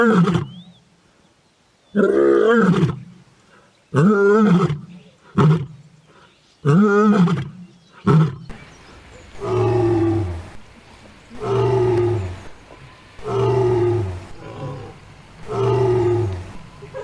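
A lioness roars in deep, powerful bursts, then falls into a run of shorter grunts spaced about two seconds apart.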